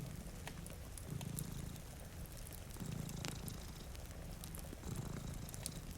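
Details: Two cats dozing by a rainy window give a low rumbling purr in slow swells about every two seconds, while a fireplace crackles and rain patters.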